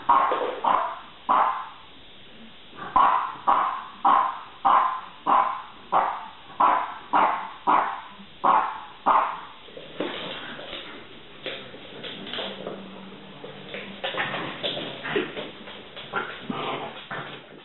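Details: French bulldog giving a run of regular sharp barks about once a second, then the barking breaks into softer, scattered yips and whining sounds with some background noise.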